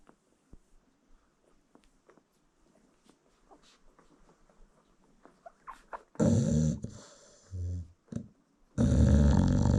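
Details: Sleeping American Bully mother feeding newborn puppies: a long hush of faint rustles and small suckling clicks, then loud harsh snores break in near the end, one short grunt between them.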